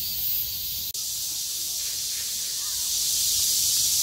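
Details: Cicada chorus after heavy rain ends, 6 August 2020: a continuous high, sizzling drone from many insects, cut by one brief dropout near the start, then swelling slightly louder toward the end.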